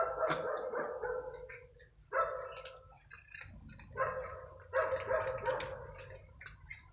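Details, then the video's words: Stray cats fighting over food one evening, a smaller gray newcomer attacked by another cat; harsh, wavering yowls rise and fall in three long bursts separated by brief quieter gaps, with low background rumble. "STRAY CATS FIGHTING OVER FOOD"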